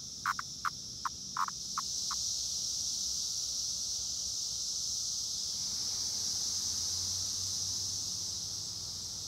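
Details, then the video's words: Periodical cicadas of Brood X near Princeton Junction, New Jersey, making a continuous high, hissing whine, with a few brief clicking pulses in the opening seconds. "Brood X Cicada Sound"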